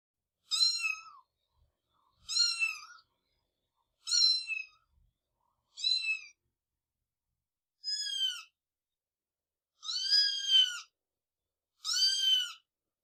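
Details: Cat giving seven separate meows spaced roughly every two seconds, each a short descending, harmonic-rich cry, the last few louder and fuller; silence between calls.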